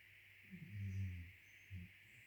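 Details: Sleeping Cairn Terriers, two dogs, giving one drawn-out, low, rumbling snore followed by a short, softer snort, with a steady low hum and faint high hiss beneath.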